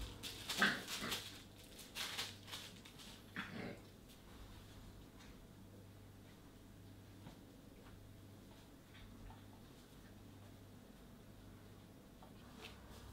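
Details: Border Collie puppies, one of a litter of seven born at an ashram in La Peral, giving a few short whimpering yelps in the first four seconds, then quiet with faint rustling and low hum.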